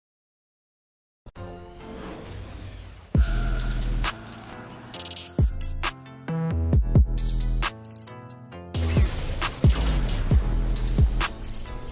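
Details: A little over a second of silence gives way to electronic music with a drum machine, heavy bass and sharp percussive hits, with no animal sound heard.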